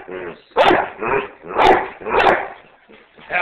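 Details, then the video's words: A pet dog asked to bark gives a run of loud, rough barks, roughly every half second, with a person speaking in the background. "Eliot Barks"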